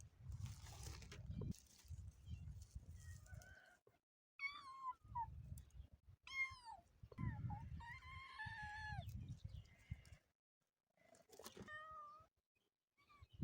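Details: Orphaned kitten without its mother giving a run of meows in the middle stretch, several quick arched calls followed by longer drawn-out wailing ones, then one lone meow near the end, between bursts of low rustling and thumping.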